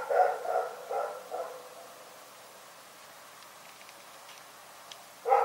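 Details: Rex, a dog barking during the night, lets out four quick harsh barks, goes silent for several seconds, then starts barking again.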